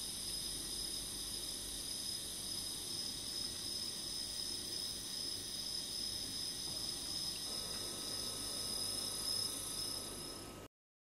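Emma field cricket singing a steady, high, ringing trill of rapid chirps that runs without a break.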